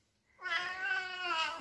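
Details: Oriental cat indoors, checking shopping the family has just brought home: one drawn-out, harmonic meow lasting over a second. It starts loud, wavers slightly and fades at the end, with a quiet room behind.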